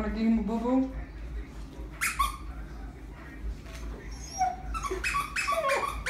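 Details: Husky named Ace crying and whining while a person asks if it wants a deer toy squeezed; high wavering whimpers and yelps, man's voice talking over parts of it.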